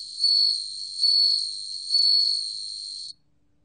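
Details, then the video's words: Ringing song of a bell cricket, National Institute of Biological Resources, 2020, with three rhythmic swells of a pure high trill spaced under a second apart before an abrupt cutoff to silence. "방울벌레, 여러번 듣기, 곤충소리"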